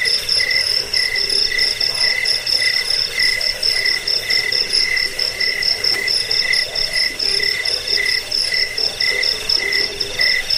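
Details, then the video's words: Insect chorus of crickets, offered to scare away rats, soothe sleep and tutor birds: a steady, piercing pulsed trill over a lower band of clipped chirps repeating in short groups, forming a thick continuous night-like wall of sound. "Suara jangkik pengusir tikus pengantar tidur"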